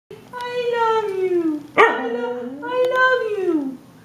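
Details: Siberian Husky indoors vocalising "I love you": three drawn-out, tonal, howl-like syllables, the first long and falling, a short sharp middle note, then a rising-then-falling final wail, in a small quiet room.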